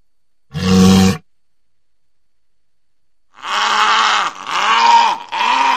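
A walrus gives a deep grunting bellow, then a longer series of harsh, roaring groans.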